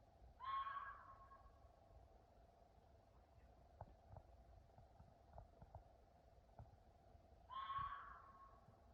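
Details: At night, an animal the recorder thinks is a fox gives two harsh, rasping screams several seconds apart over a steady background hum.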